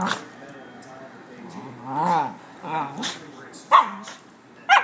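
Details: Puppies at play give a run of arching, whiny yelps and squeals, rising and falling in pitch, with short sharp yips near the end and a soft background hiss.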